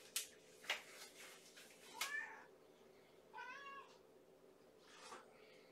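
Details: Starving kitten from Gamora's Infinity Kittens litter waiting for its bedtime feeding indoors: clattering knocks first, then one clear rising-falling meow and a fainter call near the end.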